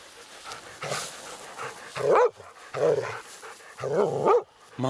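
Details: A laika on a night badger hunt, meeting a badger for the first time, gives loud, harsh barks that rise and fall in pitch, repeated about once a second.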